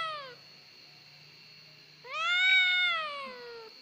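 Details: Crybaby domestic cat ('kucing gembeng') ends one falling meow, then after a pause lets out a long, loud, plaintive meow that swells and slowly sinks in pitch, over a faint constant high-pitched hum.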